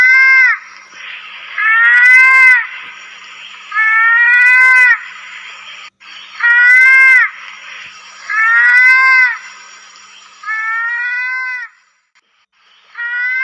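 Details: Lesser mouse-deer (kancil, pelanduk) in the wild: drawn-out, nasal, whining notes about a second long that rise briefly and then hold level, repeated every two seconds or so, over a steady insect-like hiss and a thin high ringing tone.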